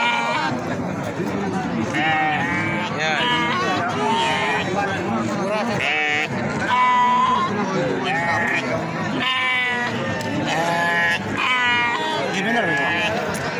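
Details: Gibas sheep at the Babat goat market in Lamongan, giving repeated quavering, wavering bleats from several animals that overlap one another, set against steady crowd chatter and nearby talking.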